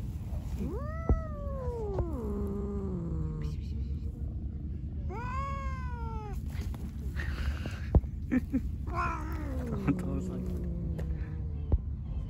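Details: Angry white cat that is attacking everyone, calling with three long drawn-out meows that rise then slowly slide down, spaced a few seconds apart, over constant low rumble and occasional clicks.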